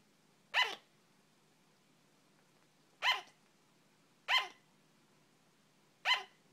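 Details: A female pet sugar glider barks in short, sharp yaps that sound like hiccups, single notes spaced irregularly a second or more apart.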